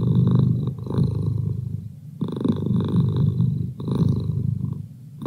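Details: Close, loud purring from Merlin, a domestic cat, a gravelly low rumble pulsing in three main breath cycles with a faint snore-like rasp on the inhales.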